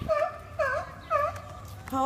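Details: Seals arguing over a spot on the rocks. Three short nasal, V-shaped bleats with rich harmonics, each about a quarter second long and spaced roughly half a second apart, with faint background rumble.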